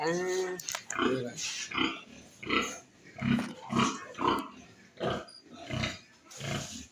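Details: Pigs at a farm in West Bengal, India, where piglets are raised, giving rough, low grunts in a steady series, roughly one every three-quarters of a second, with a person talking faintly in the background.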